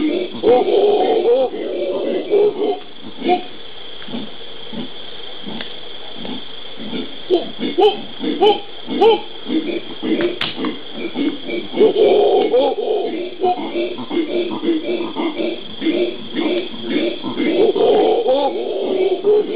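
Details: Howler monkeys (genus Alouatta) calling in Brazil's Pantanal on 13 January 2011: bursts of hoarse, moaning howls open and close the stretch, separated by a quieter middle of rapid, uneven grunting pulses.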